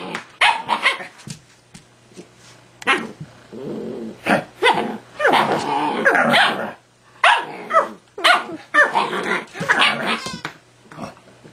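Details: Husky pup arguing back at its owner: bursts of barks, grumbling growls and drawn-out whiny howls, roughly one outburst per second with brief pauses, voiced and fairly loud throughout.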